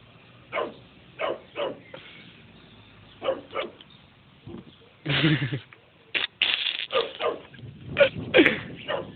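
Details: Chow Chow still attacking a bee-like insect, giving repeated short barks and snorting bursts. They come irregularly and grow denser and louder toward the end.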